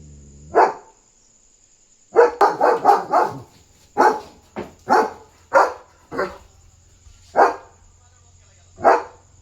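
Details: Excited German Shepherd guarding at night, barking nonstop at a dog outside; a quick burst of five deep barks followed by single barks spaced about a second apart, a steady high hum throughout.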